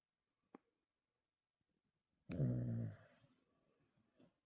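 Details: A dog sleeping deeply with its eyes half open, kept indoors as a pet, lets out one loud, low, rattling snore lasting under a second, with a faint click before it and soft breathing afterwards.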